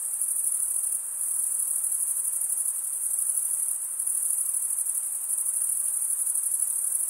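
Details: Continuous shrill cricket trill, very high and even, pulsing slightly in loudness without ever pausing; nothing else audible apart from a low background hiss.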